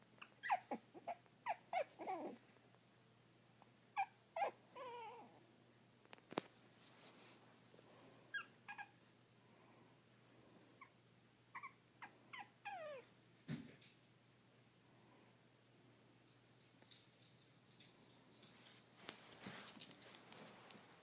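A Boston terrier pug mix dog gives short, wavering whines and whimpers in scattered bursts.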